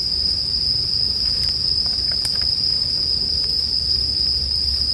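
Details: Bell crickets sing as a steady, high, ringing trill that never pauses, with sharp crackles and pops from a campfire and a low rumbling hum underneath.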